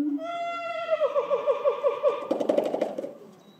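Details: Cage, a male gibbon beside the gorilla house, famous for loud cries that annoy some gorillas: a sustained pure wail breaks into fast rhythmic wavering notes, then a harsh burst and fade.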